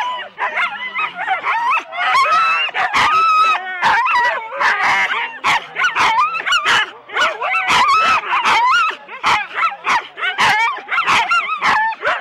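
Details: At Rendlesham in January 2016, four-dog Husky teams set off, captured on analogue cassette tape: loud, rapid barking bursts with shrill, quavering yelps and whimpers between them, the pack never pausing.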